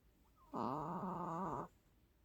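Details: Long-haired Chihuahua snoring in sleep: a single rattling, wavering snore lasting just over a second, rough and buzzy with a low steady hum beneath, then quiet.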